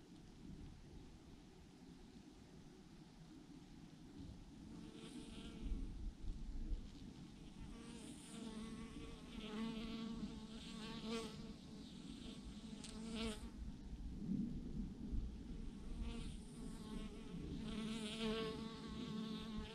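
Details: Massive clump of honey bees hanging from a branch; continuous swarm drone with wavering harmonic bands and bursts of louder, nearer buzzing from passing bees, over low rumble.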